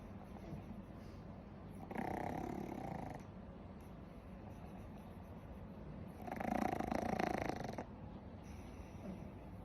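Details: Pug dog snoring while asleep: two louder bursts of rough, buzzy breathing noise near two and six seconds over a steady low hiss, with quieter breaths between.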